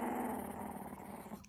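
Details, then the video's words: An angry dog growls in one sustained, rough, low rumble with a strong harmonic buzz. The growl fades toward the end of the short burst, indoors in a small room. "Angry Cute Dog"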